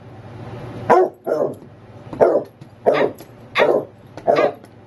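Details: Basset hound Nemo barking for his nightly walk, six harsh barks spaced under a second apart, with a faint low hum beneath.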